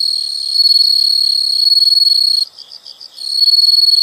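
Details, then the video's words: Loud, piercing insect trill, steady and high, broken by a brief pause of soft pulsed chirps before the continuous ringing resumes. "the sound of insects"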